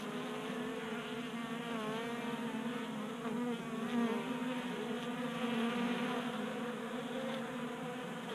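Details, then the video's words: Honey bees feasting at a 3D printed feeder on a garage workbench in Colorado, January warmth keeping them active; a rich, layered buzzing drone that swells and wavers as individual bees fly close. "45 Minutes of Honey Bees Feasting from 3D Printed Bee Feeder ASMR"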